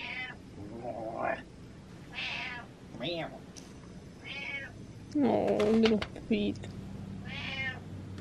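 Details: Butters, a pet cat, converses with her dad indoors: several short, harmonic meows, some rising then falling, spaced a second or two apart, alternating with a man's voice talking back.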